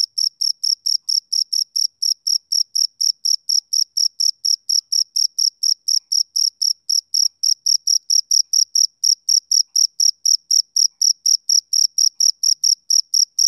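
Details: Male cricket chirping on a summer evening: a steady, clean run of short, high, pure chirps, about four a second, evenly spaced and even in loudness throughout, with no other sounds behind them.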